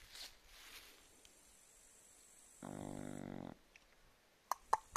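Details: Chow Chow dozing; a soft, buzzy, fluttering snore of about a second comes midway through quiet, followed by a couple of sharp clicks near the end.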